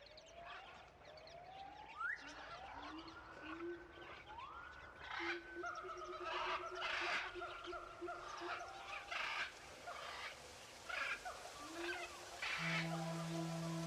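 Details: Tuxedo kitten, one month old, giving a run of rising, gliding meows that sweep upward and level off, roughly one every second, some short and clipped, ending beside a low steady hum.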